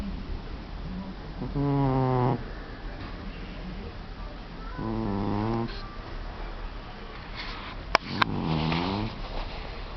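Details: A young, affectionate orange male house cat, the heaviest snorer among the household's cats, snores while asleep: three drawn-out, harmonically rich rasping breaths, each under a second long, coming about every three seconds over a low steady hum.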